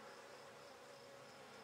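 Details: Relaxed Buckfast honey bees on an inspected brood frame give an unbroken, even drone with stacked overtones, recorded in May 2009 at a beginner's handmade hive.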